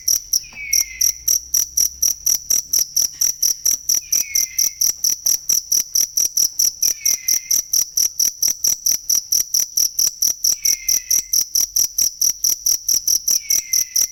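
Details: Cricket sound for tutoring songbirds: a steady train of shrill, even pulses, roughly two per second, running throughout, with a soft descending whistle returning every few seconds behind it.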